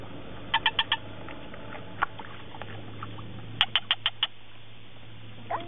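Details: An unseen, unidentified frog very close by at Sepilok near Sandakan, Borneo, gives two quick bursts of five sharp, clicking notes separated by a pause.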